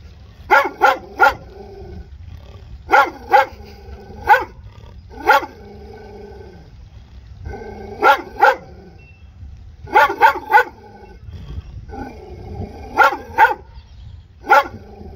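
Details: Dog barking in quick bursts of two or three sharp barks, the bursts spaced a second or two apart across the whole stretch, over a steady low rumble.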